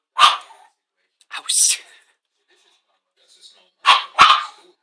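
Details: Chihuahua barking at the TV; sharp, bright yaps, one early, then a rougher burst, then a quick double bark near the end, with a person saying "oh no" around them.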